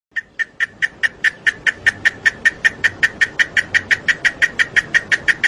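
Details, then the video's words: Cicadas singing in Chiapas; loud buzzy pulses about three per second, each a sharp rasping click-burst, steady and evenly spaced throughout. "el sonido de el canto de las chicharras"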